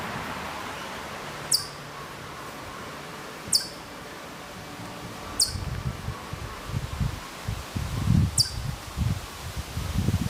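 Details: Hokkaido chipmunk calling from quite far off at Maruyama, Sapporo, Hokkaido, in September 2014: four sharp, very high, clipped chips spaced roughly two to three seconds apart, with low rustling and rumbling noise rising in the second half.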